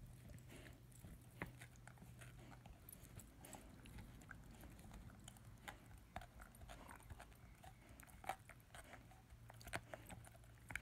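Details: German Shepherd/Labrador puppy, ten months old, chewing his first bone indoors: a long run of scattered crackling bites and gritty scraping, with occasional louder snaps over a faint low hum.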